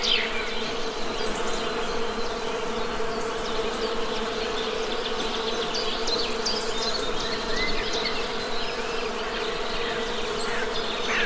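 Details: Honey bees make a dense, unbroken low hum. Faint, scattered bird chips and one short whistle sit above it.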